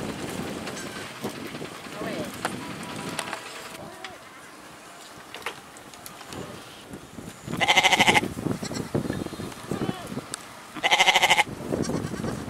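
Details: Goat producing two short, quavering bleats late in the recording, separated by about three seconds, after a stretch of rustling and shuffling noise.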